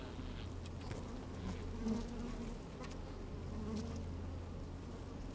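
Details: Working honey bees inside an open hive on a fine sunny day with some wind; a steady low hum and faint wavering buzz tones, with soft clicks as bees move over the microphone.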